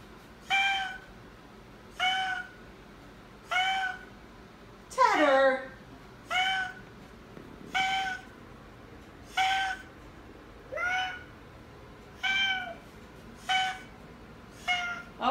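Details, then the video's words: Teddy, an Oriental Shorthair cat indoors, honks instead of meowing: short flat nasal honks, about one every one and a half seconds, with one longer falling wail near the middle; a person coaxes him about a toy. "Teddy the most famous honking Oriental Shorthair Cat"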